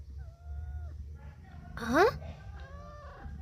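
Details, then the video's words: Pet cat Mufasa responding while its owner talks to it in Telugu: a brief, upward-sliding meow comes midway, surrounded by a woman's voice and a low room hum. "Cute Conversation With A Responsive Mufasa -The Cat King"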